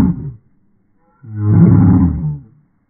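A dachshund voices a short low woof, then after a pause a longer, rich, droning howl-bark that swells and fades. The tone is deep and resonant, with a wavering, sung quality.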